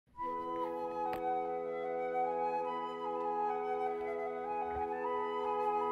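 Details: Steady flute music holds long sustained tones over a soft background, with no animal voice heard.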